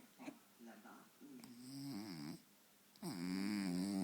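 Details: French Bulldog Faro dozing in front of the television, short snuffling breaths building into a wavering nasal snore, then a loud sustained rasping snore at the end.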